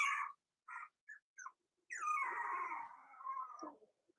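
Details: A Cavalier King Charles Spaniel puppy, one of Daisy's four-week-old litter in a pen, gives several short high yips, then a long drawn-out whimper that wavers and slowly falls in pitch before breaking off.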